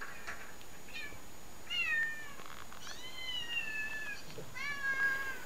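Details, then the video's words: Several domestic cats meow in a recording played to a house cat. Three drawn-out meows, each holding a steady tone before gently falling, are spaced about a second apart, with a faint hiss behind them. "Cat watches cats meowing"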